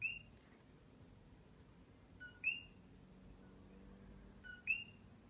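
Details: Single coqui frog on the Big Island of Hawaii after dark: three crisp 'co-qui' calls, a short lower note leading into a higher rising whistle, spaced about two seconds apart, with faint steady high whine.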